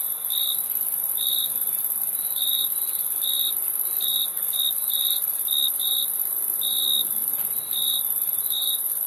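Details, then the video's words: Cricket chirps in a loose rhythm, some coming in quick pairs, about a dozen over nine seconds, beneath a persistent high whining insect chorus. "Crickets Chirping Sound"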